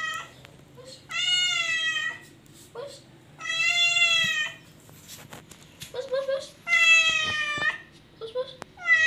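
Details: Domestic cat indoors giving long, drawn-out harmonic meows, each about a second long, slightly rising then level, repeated four times with short quieter chirps and squeaks between them.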